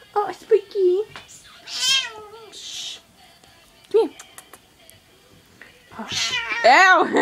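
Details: Pet cat being affectionate indoors, giving a run of short harmonic meows, some rising and falling, several louder drawn-out mews near the end, with a person talking and exclaiming in between.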